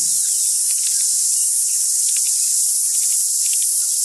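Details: Deafening chorus of singing cicadas on a very loud day, with a close-up cicada on a tree: a dense, unbroken high-pitched hiss-like drone fills the clip, with a few faint tonal notes from tuis singing in the background.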